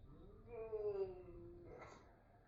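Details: Bengal cat named Musashi yawning aloud indoors, a very quiet voiced yawn: a soft, slightly falling tone held for about a second, ending in a breathy exhale.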